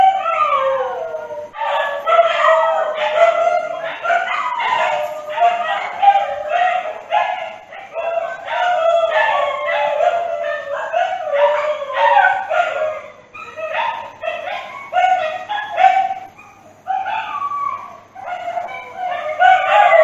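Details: A pack-like chorus of dogs, rapid yipping bursts layered over drawn-out howls, dense and continuous for twenty seconds with brief lulls near the end.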